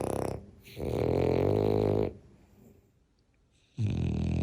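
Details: French bulldog asleep and snoring. One long, rough, buzzing snore lasts over a second, followed by a near-silent pause, and then the next loud snore begins.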